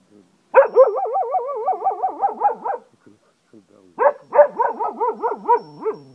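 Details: Zeeko the Cocker Spaniel in Ajloun, Jordan, gives two bursts of rapidly wavering, yodel-like howling, the pitch bouncing up and down several times a second, with a short break between bursts.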